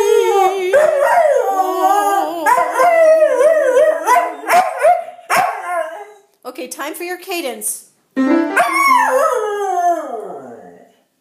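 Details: Singing pet dog howling with piano during a playful voice lesson: warbling, wavering howls broken by short pauses, ending in a long falling glide, alongside piano and a man speaking.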